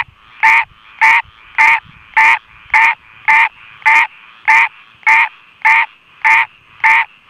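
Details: A frog singing in the rain calls in harsh, nasal bursts, evenly repeated about every half second.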